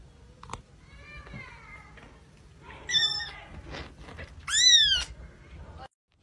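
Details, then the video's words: Hungry baby kitten meowing: a few short, thin mews, the loudest near the end rising then falling sharply in pitch, with soft rustling and a brief human voice in the background. "baby kitten hungry"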